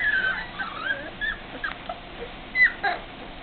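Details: Four-week-old English Springer Spaniel puppies whining in sliding, wavering high whimpers, several overlapping squeals rising and falling within a few seconds, one sharp louder yelp near the end, faint background hum.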